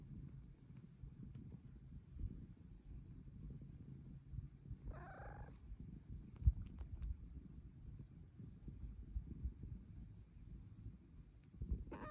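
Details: Luna, a pet cat whose purr grows louder as she gets older, purring steadily and low while asking to be petted, with one short meow partway through and a faint click near the middle.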